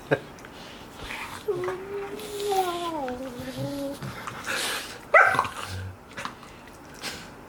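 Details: Five-month-old golden retriever puppies Jack and Tommy playing indoors while five-year-old Bella sleeps on the floor; a drawn-out, wavering whine slides downward for about two seconds, followed by short sharp yelps, with a person talking softly.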